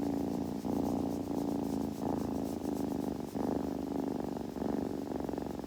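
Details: Kitten purring steadily indoors, a low continuous throbbing rumble that swells and dips with each breath roughly every half second, with faint soft rustling in a quiet room.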